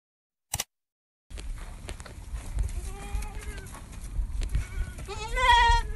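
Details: Ardi goats, a four-tooth buck and a young doe under a month old, west of Ar Rass; a click, then short wavering bleats near the third second and a louder quavering bleat at the end over low rumbling noise.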